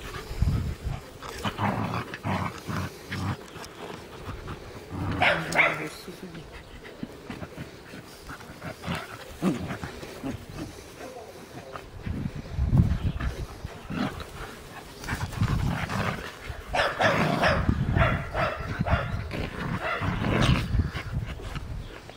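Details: Playing Scottish terrier puppy and puli: bouts of snarling growls and sharp barks come in uneven clusters, while human speech is also heard.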